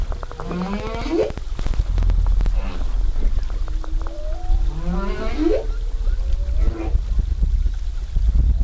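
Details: Underwater recording of a humpback whale singing near Zamami in 2018, whale watching: repeated rising whooping sweeps and a long flat moan, phrases every few seconds, set against clicking and low engine rumble.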